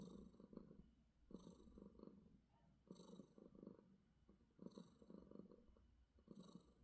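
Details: Domestic cat purring during a morning display of affection: soft rhythmic rumbling purr in bursts of about one to one and a half seconds, separated by short pauses, steady and low throughout.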